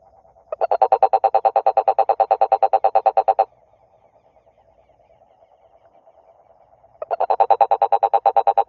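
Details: Frog croaking, with a loud, rapid, evenly pulsed buzzy trill lasting about three seconds. A softer, steady drone fills a pause of about three and a half seconds before a second pulsed trill begins.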